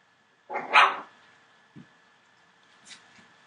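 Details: Litter of 24-day-old Entlebucher Mountain Dog puppies, born 28 December 2013: one loud half-second yelping bark, then a few faint small squeaks and rustles against a low steady hum.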